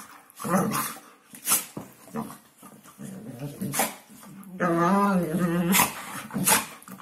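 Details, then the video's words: Hungarian Vizsla giving its New Year's talk: a run of moaning, grumbling vocal sounds with wavering, warbling pitch and a few short sharp bursts, stretched and drawn out in the middle, rising and falling like speech. "Hungarian vizsla new year's talk"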